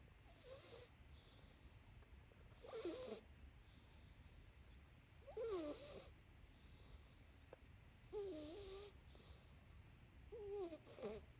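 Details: Sleeping male domestic cat snoring: rasping, wheezy breaths with a slight rising whine, about five snores over eleven seconds, roughly one every two to three seconds, over a low steady hum.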